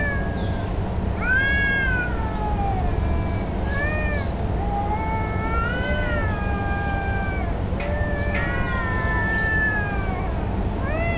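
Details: Street cats, perhaps challenging each other for territory or mating, with a black cat taking a submissive stance. Drawn-out, wavering yowls rise and fall in repeated bouts, some overlapping, over a constant low rumble.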